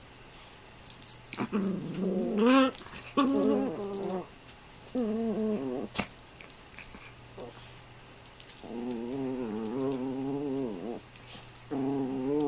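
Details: Toy poodle playing with a younger companion dog; whiny, wavering growl-whimpers in bursts lasting one to three seconds, separated by short pauses, with a steady faint hum behind.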